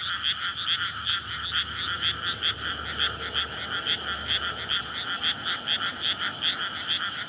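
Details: Frogs courting at night in a flooded May paddy field hemmed in by houses; many overlapping rasping croaks repeat about two or three times per second, forming a dense, loud, unbroken chorus over a soft low drone.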